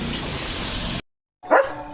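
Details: Leo, a German Shepherd, on an evening walk through lush green countryside in a light breeze, gives a single short, sharp bark right after a brief silence, following a stretch of steady background noise.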